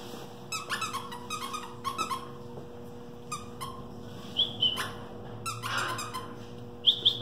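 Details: Two-and-a-half-month-old male West Highland White Terrier puppy with international pedigree makes a string of short squeaky yelps, then thin high whines rising and falling near the end, in a small room.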